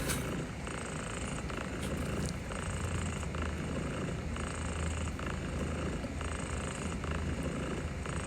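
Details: Cat purring while gently petted, steady low rumbling purr continuing throughout under dense broadband hiss like white noise, with soft rustling strokes.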